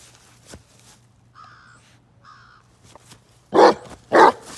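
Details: Bruno, a Basset Hound, out off road: two loud, broad barks land close together near the end, after a quieter stretch holding faint clicks, rustles and a couple of brief low tonal sounds.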